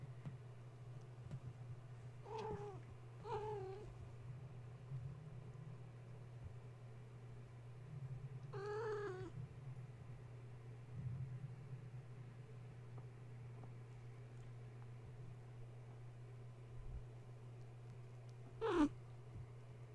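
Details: Young kittens of the cat Gaia, stirred from sleep at bedtime by a space heater being plugged in and playing instead of nursing; a few scattered meows, including a brief pair early and a longer one midway, then one sharp high squeak, over a constant low hum.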